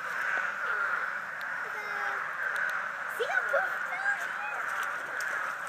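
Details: A dense frog chorus at a vernal pool in a pasture forms a steady, mid-pitched wall of overlapping calls, with faint voices nearby.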